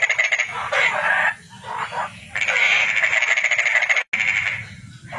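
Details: A toad's dense, pulsed trilling runs almost without a break, with only brief dips in the rattling buzz.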